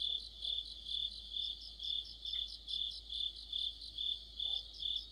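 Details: Crickets sing with other insects in an autumn night chorus. Shrill, high trills pulse rhythmically about twice a second, and a brief faint chirp breaks in near the middle over a low background hum.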